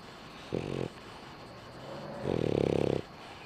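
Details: French Bulldog snoring while asleep with its eyes open; two rough, buzzy snores, a short one followed by a longer, louder one about two seconds later, in a quiet room.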